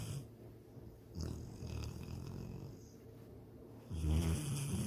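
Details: Pet dog Sydney snoring while dreaming of chasing a rabbit and swimming in a lake: low, rumbling snores in uneven bursts with soft breathy pauses, swelling into a louder, rougher snort near the end.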